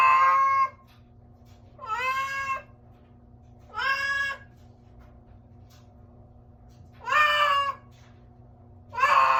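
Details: Strange cat sound from a pet cat: five wavering, slightly rising meows, some with a whiny bend at the start, separated by gaps of one to three seconds in a quiet room with a low hum.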